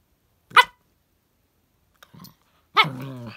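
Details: Squid, a puppy chipin (chihuahua crossed with miniature pinscher) living on a farm in Indiana, gives a short sharp bark, then soft faint sounds after a pause, then another bark sliding into a drawn-out whine.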